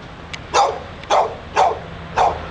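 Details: Dog outside a Barnes and Noble in Pleasant Hill, California that wouldn't stop: four rapid, sharp barks about half a second apart, with faint softer yips and a low background hum.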